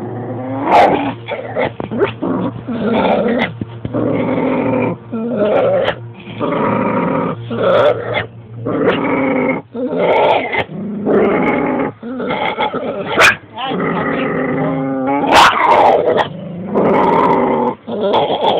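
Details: Two pet dogs squabble over a big bone: the female holding it in her mouth growls continuously to guard what's hers, a harmonic, goat-like rasp broken into pulses, while the other dog adds sharp barks.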